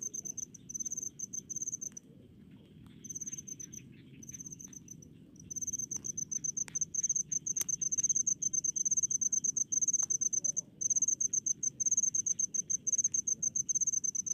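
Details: Cricket calling from rice paddies in a rural setting, a steady stream of shrill pulsed chirps, broken by brief pauses early on and then running almost continuously, with a faint low background hum.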